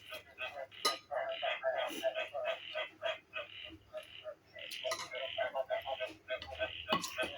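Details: Frog chorus recording played indoors as background music during a meal instead of mor lam songs, said to make one want to dance; dense, rapid, clattering croaks repeat about three per second, mixed with a person talking and eating.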